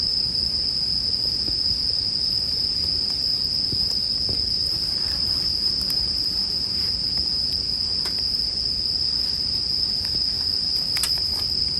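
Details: Bell crickets keep up a constant high, clear ringing drone for the whole span as the campfire pops and snaps at irregular moments, several loud cracks standing out, in a soothing sleep soundtrack.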